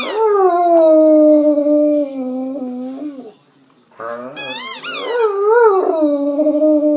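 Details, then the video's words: Pet Great Dane Dante sings along after squeaking his toy. A steady, slightly falling howl fades out, then a short pause. A shrill burst of toy squeaks follows, then a new howl that wobbles up and down before levelling off. "Dante Howling"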